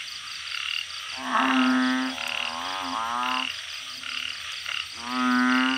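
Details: Balloon frogs raised in a backyard organic garden, calling in a loud night chorus: long, low, droning moans, each swelling for about a second with buzzy overtones, overlapping one another with brief gaps.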